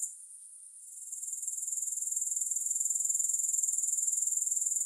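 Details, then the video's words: Grasshopper stridulation starts soft and swells within the first seconds into a steady, high-pitched, quickly pulsing trill. "Grass Hopper Sounds"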